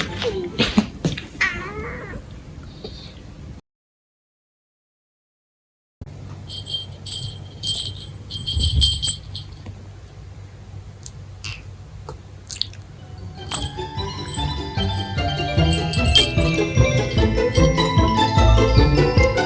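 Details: Munchkin cat, a mostly silent cat with a distinctive husky voice and no typical meow, recorded indoors between April 2021 and December 2022. A short raspy, wavering meow opens, followed by silence. Then come scattered clicks, rustling and rising household noise.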